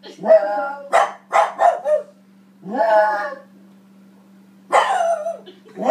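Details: A small female French Bulldog and Boston Terrier mix barks at herself on TV in quick, sharp, yappy bursts, some with a whiny, rising edge, with a steady electrical hum underneath and a faint human voice.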